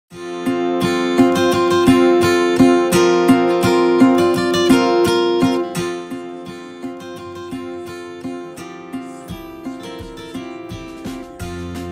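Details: Plucked acoustic guitar music plays throughout, steady strummed notes with no animal voice heard.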